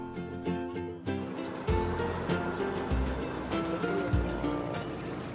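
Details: Only music with sustained tones and percussive hits is heard, with no animal sound.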